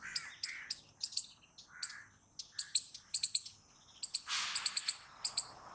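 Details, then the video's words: Squirrel calling with scattered high, clipped chips that speed into tight clusters near the end. A short hissy rush and lower squeaks are mixed in. "Squirrel Noises Loud | Squirrel Sound Video"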